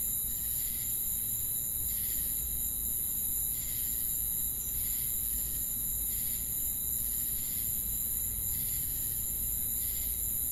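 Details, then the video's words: Crickets calling at night in a forest, short buzzy chirp bursts recurring about every 1.3 seconds above an unbroken shrill trill, low murmur in the background. "Night Ambient Sound Effect with Cricket Sounds"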